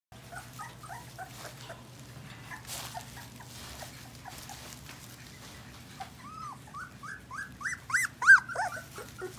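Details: English Golden Retriever puppies at week 4, indoors: faint high whines early on, then a burst of rising and falling yelping whimpers toward the end, over a steady low hum.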